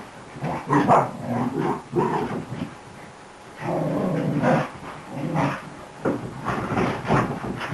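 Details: Playful new beagle-cross puppy going wild: bursts of gruff growling and short yappy barks in clusters, a brief quiet gap around three seconds, then longer sustained growls.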